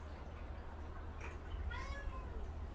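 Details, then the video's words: Indoor recording of the mild-natured cat Haechal, angry at the kittens bothering her; one clear, harmonic-rich meow rising then gently falling near the end, with low background hum and some handling noise. "아기 고양이들 때문에 화난 순둥이 해짜리"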